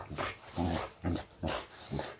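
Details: Layla, a female boxer recovering from a muscle injury, greets her owner just home from work indoors: four short, rough, low growl-barks spaced about half a second apart.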